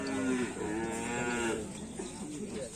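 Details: Karapan sapi racing cattle of the Paku Alam team, being paired with a new partner bull, give a drawn-out, low, harmonic moo that sags slightly and then rises again, with background chatter and music.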